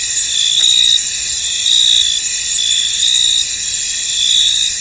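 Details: Cricket chorus in a misty field: constant high, ringing insect buzz with intermittent stronger trills every second or so and a brief faint click.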